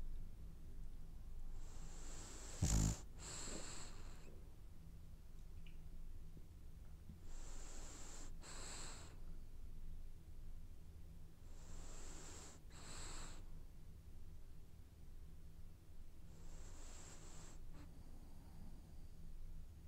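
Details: Dreaming French Bulldog snoring in its sleep: wheezy breaths carrying a thin high whistle, repeating roughly every five seconds, with a sharp click near the start over a steady low hum.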